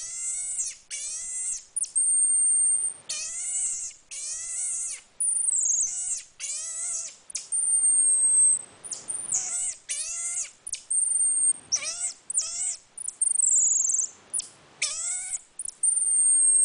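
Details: A pet marmoset gives a long run of strong, harmonic, bending cries, each under a second, alternating with piercing high whistles that sometimes rise and fall.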